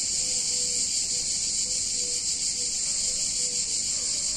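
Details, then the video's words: A continuous high buzzing wall of cicada song fills a hot summer day in a picturesque Italian town, steady in loudness, with soft short humming dashes at a lower pitch underneath. "Cicadas In Warm Summer Day In Italian Town"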